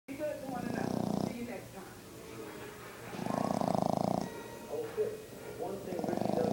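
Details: A five-month-old Boston Terrier puppy snores in slow, raspy breaths, each rattling rumble returning about every two to three seconds.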